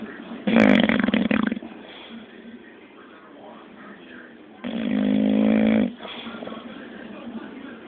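An English Bulldog snores in loud, rasping, low-pitched bursts separated by quiet pauses.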